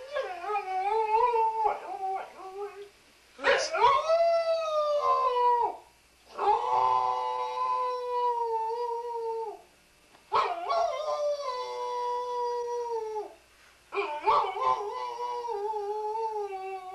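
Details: Singing Welsh Springer Spaniel named Sam: a series of four long howls, each rising sharply at the start then held level for two to three seconds, separated by brief silences, with a few short yips at the beginning.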